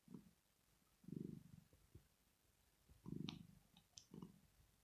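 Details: Sleeping female cat Rosetta purring in contentment: low throbbing bursts roughly every one to two seconds, the pauses between them uneven, with faint clicks and small higher ticks scattered through.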